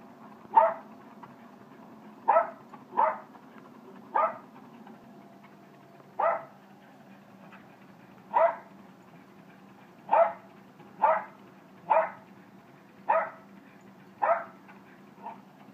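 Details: Jack Russell terrier, a male, barking in sharp, short yaps at an uneven pace, about thirteen barks in sixteen seconds with brief pauses between runs, over a low steady background hum.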